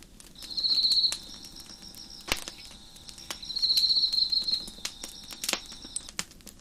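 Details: Crickets chirping behind a crackling fire on a deck: a steady high, shrill trill pulses in two louder bursts, near the start and again midway, while sharp pops and snaps from the burning wood break in throughout.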